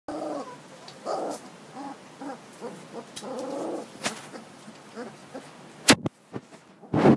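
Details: Boerboel puppy, a male born 25 July 2012 and 17 days old, gives soft, hooting whimpers and squeaks roughly once a second, followed by a few sharp knocks of handling near the end.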